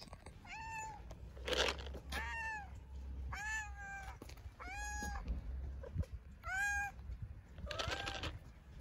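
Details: Hungry-sounding tabby stray cat in Istanbul giving a rapid series of about seven loud, rich meows, each rising then falling, one to two seconds apart, with steady low-frequency background hum.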